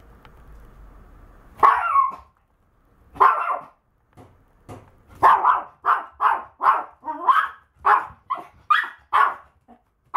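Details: Maltese dog barking while walking: sharp, high yappy barks, a few spaced ones at first, then a quick run of about a dozen in the last five seconds.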